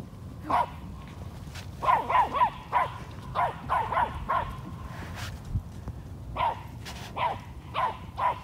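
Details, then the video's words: Eight-month-old toy Australian Shepherd herding an 800-pound Peruvian horse on a farm: short, sharp barks, some single and some in quick runs of two or three, with gaps of about a second between bursts. "Six pound toy Australian Shepherd "herding" an 800 pound Peruvian Horse!"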